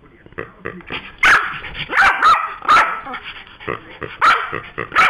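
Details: Pet Yorkshire Terrier going wild over a squeaking toy pig that someone has taken from it: uneven, high sharp barks in quick clusters with throaty growls in the gaps.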